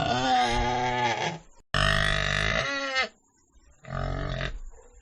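A pig gives three loud, harsh, nasal grunts, each drawn out and separated by brief pauses.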